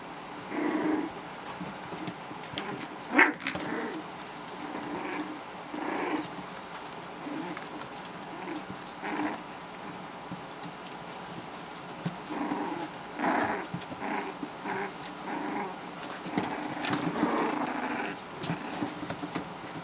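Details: Four-week-old Havanese pups from a litter of four boys and one girl, learning to play with each other and toys; scattered small growls and whines recur throughout over a steady background hiss, with one sharp squeak near the start.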